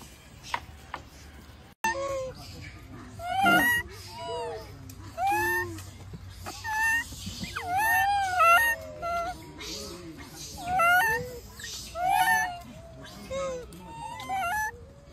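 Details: Wild macaque infant, bullied by its mother, wails loudly in a long run of harmonic, arching cries that rise and fall, packed closely together, some drawn out and strained, over faint background rustling.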